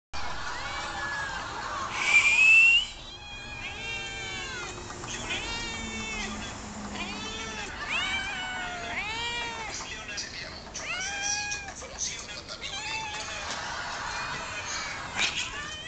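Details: Several hungry domestic cats meowing together, overlapping arched, wavering cries repeated throughout, some rising then falling, with a brief high thin rising tone near the start and steady background hiss.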